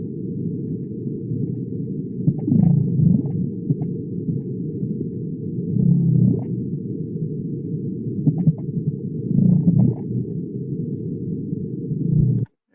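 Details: Gray whales, which can be seen at Lagoon San Ignacio, give low, rumbling purr-like calls, repeated every few seconds under steady low noise.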